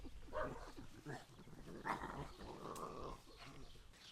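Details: Domestic dog in the countryside barking at sheep once more: a few quiet, muffled barks spaced under a second apart, with soft voices and a rough background hum throughout.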